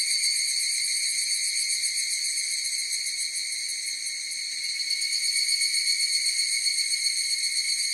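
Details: Higurashi cicadas in chorus: bright, high-pitched ringing tones stacked one over another, shivering with a fast pulse, softening briefly around the middle before returning to full strength.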